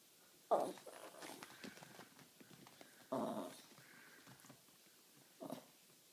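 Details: Mini Jack Russell terrier displeased at a neighbour's dog on her lawn, giving low breathy growl-like grumbles without barking, three short bursts spaced a couple of seconds apart in a quiet room.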